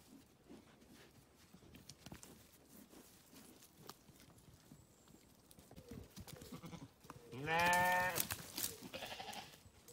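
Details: Grazing sheep on a farm: after a quiet stretch of soft rustling and chewing, one loud, wavering, harmonic-rich bleat rises and falls over about a second near the end, followed by fainter grazing noises.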